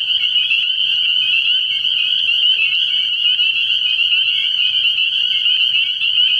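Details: At a frog pond at night in early spring, a crowd of spring peepers keeps up a dense, high, ringing chorus of overlapping peeps, steady throughout, over a faint low hum.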